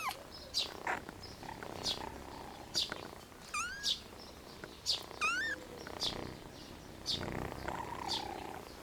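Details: Tiny abandoned ginger kitten found alone on a cold wooden bench outdoors, scared; two short rising, tonal meows in the middle, amid steady bird chirping repeated about once a second and faint background noise.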